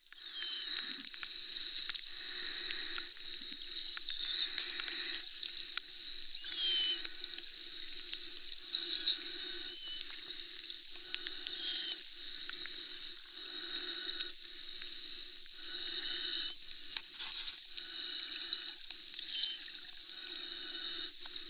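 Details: Pod of Florida manatees underwater at Three Sisters Spring, giving scattered short, high squeaky chirps, some rising or falling, at irregular intervals over a steady hissing underwater background.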